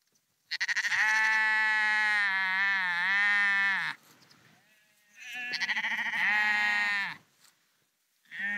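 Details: Walking sheep on the Porrenkoogdeich dike near Husum, Nordfriesland: a loud wavering bleat of over three seconds, then a second long bleat, and the start of a third at the end.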